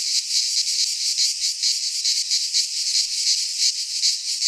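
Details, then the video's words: In a pine forest in Greece during midsummer, cicadas keep up a loud rasping drone, its high buzz swelling and fading in rapid waves, with a faint low rumble underneath. "Cicadas singing in midsummer - Nature sounds from the Greek fauna - Sounds of cicadas"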